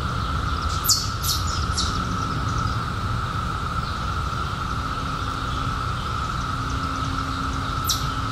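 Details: Steady cicada drone continues at one pitch beneath a short burst of sharp, very high bird chirps near the start and another near the end, with a low hum throughout.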